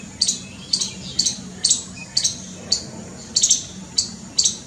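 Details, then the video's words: Squirrel frightened, uttering crisp, scratchy high chips at an uneven rate around two per second, one brief pair close together, against a low continuous hum. "Scared SQUIRREL making noise | squirrel's calling"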